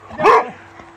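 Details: Boxer dog at a reunion greeting an old friend it first met a year earlier; one short, bright, harmonic bark rising and falling, with faint background hum.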